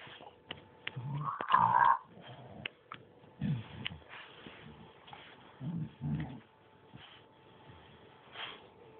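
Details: Bruise the bulldog and Winston the Staff at play indoors, giving rough snorting grunts in short clusters every second or two, with one louder throaty growl near the start and soft shuffling noises.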